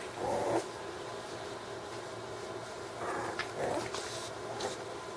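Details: Six-week-old puppies from Cardyn's litter, indoors: short, high, tonal whines at the start and again about three and a half seconds in, with soft rustling and faint thuds between them.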